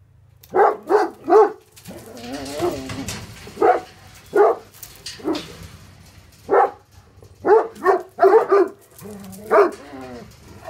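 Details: Tornjak livestock guardian dogs Hattori Hanzo and Leksi sound off against an intruder with clusters of deep, gruff barks, broken by drawn-out whining or groaning tones between the outbursts.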